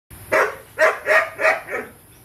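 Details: Four-month-old Belgian Malinois at feeding time giving four loud, sharp barks about half a second apart, followed by a fainter fifth, with a voice afterwards.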